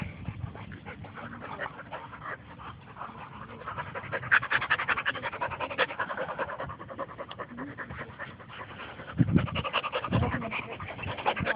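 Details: Two dogs, Bo and Glacier, playing together at a dog park; rapid rhythmic panting, about two to three breaths a second, continues throughout, with louder bursts near the middle and end, over faint outdoor background.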